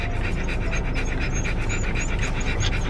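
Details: Siberian Husky puppies at a dog park for the first time with their parents: rapid, breathy panting pulses about five per second, steady and loud against outdoor background noise.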